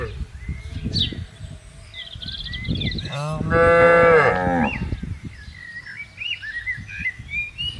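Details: Grazing tame cattle in a spacious garden: a single full moo in the middle, surrounded by rustling, low rumbling noise and scattered bird chirps before and after.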